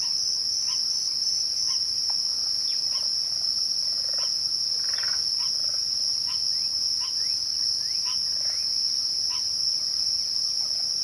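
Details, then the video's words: Crickets trill without pause at twilight, a steady high ringing tone. Short sharp bird ticks and chips come roughly every second underneath. "twilight crickets"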